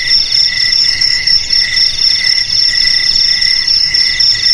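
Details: Shrill, unbroken cricket trilling on a high note, layered with lower buzzy chirps that come in regular short bursts; the sound stays loud and even from start to finish.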